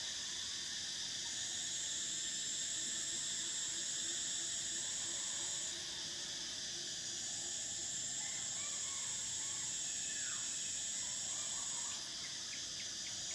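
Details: Summer cicada chorus in Thailand, a continuous shrill buzzing band that cuts off and restarts midway, with faint chirping calls of other creatures scattered underneath.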